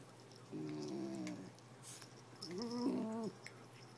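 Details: Kenya, a basenji, talks to Anchor, a toy fox terrier, about why he won't get a toy. She makes two wavering, yodel-like vocal bursts, each about a second long, indoors.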